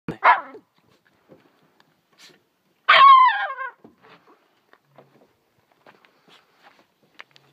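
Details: A small pet dog barking at a fish while tearing it apart: two sharp barks, the second with a strained, harmonic whine-like tail, separated by quiet with faint scuffling sounds.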